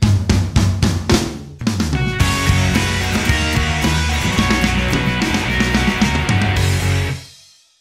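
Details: Drum-driven music with kick, snare and rimshots, fading out to silence at the end; no animal sounds.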